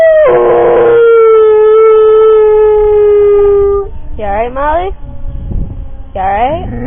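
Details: Molly, a pet dog who dislikes loud noises, howls during siren testing: one long, slowly falling howl of about four seconds, then two short, wavering, rising howls. A person speaks softly between them.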